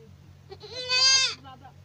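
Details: A young goat (kid) bleats once, a drawn-out, slightly quavering nasal cry that swells, then drops away, with a steady low hum underneath.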